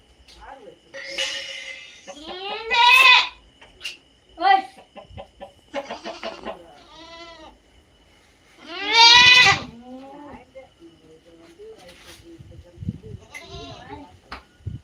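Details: Native goats bleating loudly in two long, wavering, harmonic-rich calls around three and nine seconds, separated by shorter nasal bleats and quieter gaps, with faint background rustling.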